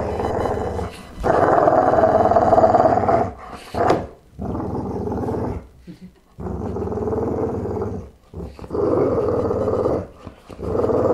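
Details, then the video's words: Deep, continuous growling from a Boxer Pitbull. Sustained raspy rumbles lasting two to three seconds break off with brief pauses and sharp catches of breath. "Boxer Pitbull Growl"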